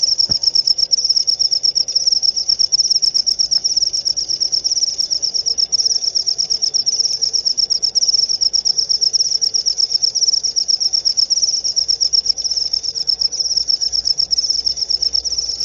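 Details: Cricket chirp used to chase off rats and as a lure call; an unbroken, high-pitched pulsing trill runs throughout at even loudness, with a faint low hum beneath.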